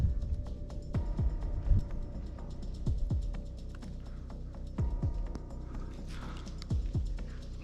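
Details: Low, humming background music with deep repeated thumps and no animal calls.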